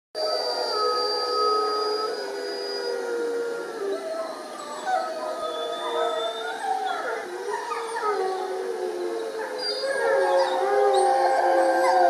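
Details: Several wolves in the UK howling together: long, overlapping, sliding tones that rise and fall and weave across one another throughout, steady and dense, swelling louder toward the end.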